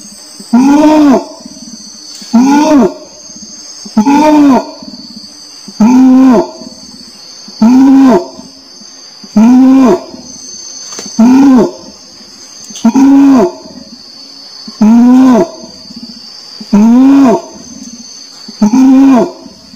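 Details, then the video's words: Orangutan calling in a long, steady sequence of about eleven booming, arched moans, one every one and a half to two seconds, with an unbroken high insect drone behind. "SUARA ORANG UTAN"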